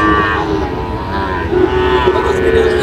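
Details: Sahiwal and Friesian bull calves at a cattle market, bought by a farmer from Munshiganj, Bangladesh, on 24 July 2025; a tonal, harmonic calf moo runs through the clip over constant crowd chatter and market noise.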